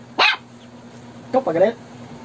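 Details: Shih Tzu reacting to a snoring prank: one sharp bark at the start, then after a pause a wavering, voice-like burst, over a constant low hum.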